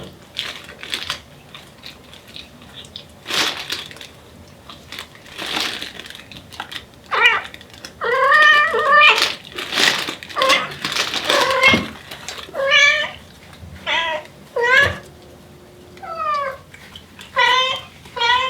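A mother Devon Rex cat calls her kittens with a run of insistent, rising and falling meows.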